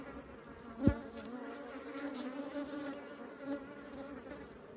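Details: Honeybees carrying honey into the hive: a steady layered buzzing hum with a low droning band and stacked overtones, one sharper loud buzz just before the first second as a bee passes close.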